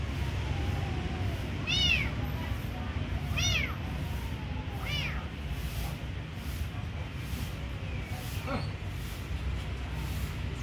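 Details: Kitten being given food meows three times in quick succession, short sharply arched calls about one and a half seconds apart, then falls quiet; low continuous rumble underneath.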